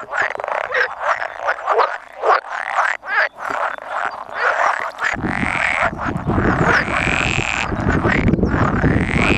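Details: A spawning gathering of about 100 male pool frogs, with two edible frogs present, recorded 16 May 2017. Pulsing croaks come in bursts, followed by a continuous croaking chorus over a steady low rumble.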